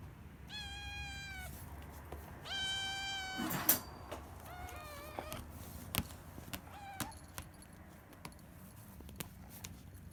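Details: Rescued three-month-old kittens, one brown male and one grey female, calling insistently from a cage each morning to be let out; two long clear meows, then shorter, fainter ones, among clicks and taps from the cage.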